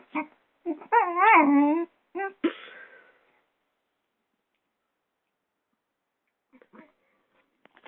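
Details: A six-month-old Doberman puppy fighting a hairdryer gives quick yips, then a wavering, rising-and-falling whine and a sharp bark, followed by long silence and a few faint yips near the end.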